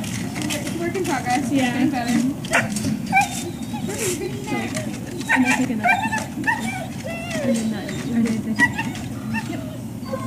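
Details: Dogs at the Service Dog Project in Ipswich, Massachusetts, USA, waiting for breakfast on 14 October 2017: high, wavering whimpers and short yips come in scattered bursts over steady human talk and clattering background noise.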